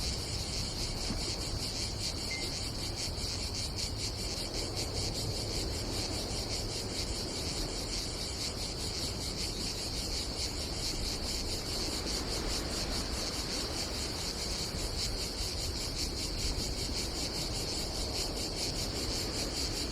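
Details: At an Adriatic campsite in Croatia in summer, cicadas drone continuously in a high, rapidly pulsing buzz. A single short bird chirp sounds early on, and wind and sea keep up a low rush beneath.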